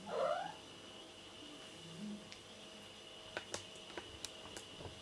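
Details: Pet cat at home making a short rising meow at the start, then going quiet apart from scattered clicks and thumps as it moves about, while a woman asks its age in a playful interview.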